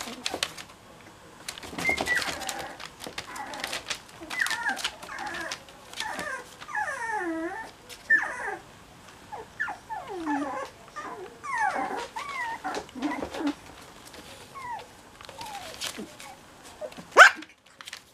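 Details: Cocker Spaniel puppies cuddling indoors, giving soft, thin whimpers and squeaky rising-and-falling whines in irregular bursts, with rustling and shuffling between calls.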